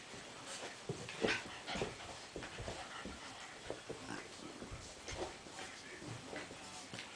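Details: Ollie, a black and tan Cavalier King Charles Spaniel puppy aged 8 weeks, at play with his friend Henry: brief high whimpers and yips mixed with panting and scrabbling sounds.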